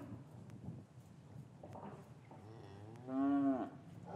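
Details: A cow lowing in an English cattle yard on a winter's afternoon, calves having been separated from their mothers: shuffling yard noise, then a single strong moo of about half a second near the end.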